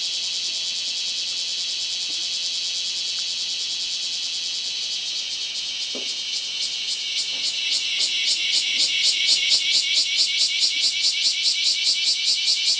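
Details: Cicada calling, recorded 2 August 2011: a steady high buzz that swells in loudness after about eight seconds and breaks into rapid, regular pulses, with a faint brief knock midway.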